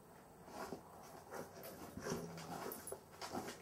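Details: Cavalier King Charles Spaniel with difficulty breathing during sleep: quick, noisy, pant-like breaths with a faint whimpering tone woven through, about three seconds of irregular huffing indoors.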